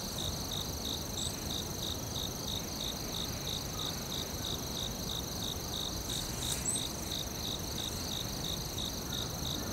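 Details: Crickets calling in a forest with bright, evenly timed chirp pulses, several per second, a sustained high drone running beneath them and a thick low-frequency hiss; one brief louder click near the end.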